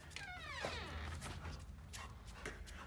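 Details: A female Rottweiler, Queen, gives a high, falling whine of excitement while greeting her returning owners.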